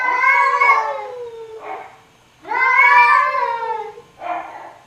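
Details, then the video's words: Domestic cat giving two long, drawn-out meows with rich harmonics, each rising then falling, each followed by a shorter, softer mew, in a quiet setting. "Som de Gato e Gatinhos Miando"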